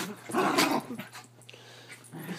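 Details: Havanese dog vocal during play wrestling on a bed, a short harmonic growl burst rising and falling within about half a second, followed by quieter rustling and faint low grumbles.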